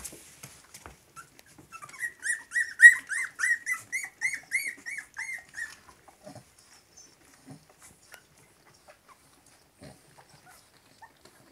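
Three-week-old Cavalier King Charles Spaniel puppies whimper in a quick run of high, squeaky yelps, each sliding up and down. After a few seconds the calls fade to scattered soft squeaks and faint shuffling.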